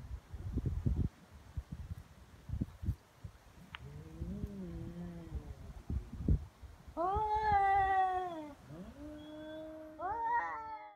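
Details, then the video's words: Feral cats in a serious fight on Japan's Cat Day, 22 February, threats failing to make either back down; rustling and low growls first, then loud rising-and-falling yowls answering each other toward the end. "猫の日ガチ喧嘩「威嚇で相手が引かない噛みつきや猫パンチに発展」野良猫 Cat Fight"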